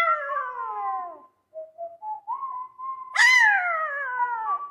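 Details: Small dog joining in with the Show da Fé theme tune: a falling harmonic wail, a pause with soft rising tones, then a loud howl that starts sharply and sags gradually downward.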